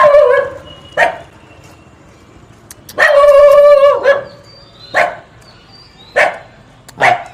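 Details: A cute dog making funny barking sounds: a tonal yelp opens, then a long drawn-out whining bark lasting about a second, followed by short sharp barks roughly once a second, with quiet gaps between.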